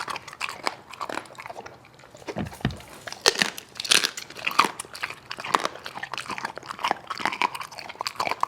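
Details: A dog eating with a wolf's appetite, making steady crunching and biting noises with sharp, clicking chews and rough chomps indoors.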